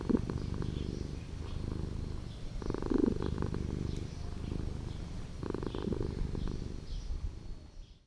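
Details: Purring from a street cat that lives in an old house, a deep continuous rumble rising in three stronger surges, then fading out at the end.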